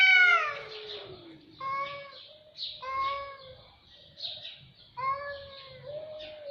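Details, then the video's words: Cats calling with a loud descending meow at the start, then several shorter bright meows, interspersed with breathy hissing noise. "صوت قطط رهيب"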